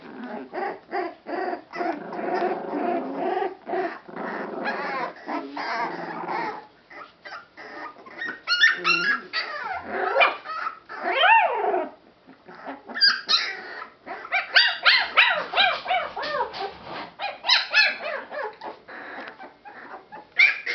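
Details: Several rescued Boston Terrier/Pit Bull mix puppies from one litter whimper and squeal together, thin cries rising and falling in quick overlapping bursts, with brief low grumbles between the higher yelps.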